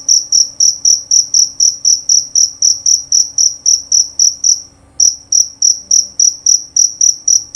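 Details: Male jerabang cricket, kept for its loud, clear voice, giving a high, pure chirp repeated about four times a second in a steady series, with one brief pause near the five-second mark.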